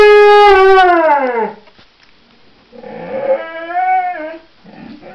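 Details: Singing pet dog: a loud howl slides downward and fades, followed after a pause by a softer, wavering howl and faint whimpers.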